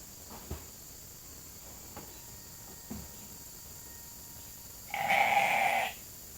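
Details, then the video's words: Flock of hungry sheep at Nature Lane Fiber, gathered for evening grain; a few soft clicks and knocks, then one loud steady bleat near the end. "Calling the Flock in for the night"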